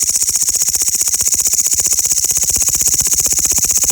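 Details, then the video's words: A loud insect chorus from grasshoppers: an unbroken, shrill, rasping buzz pulsing rapidly and evenly throughout, dominating the whole recording. "the loud sound of grasshoppers"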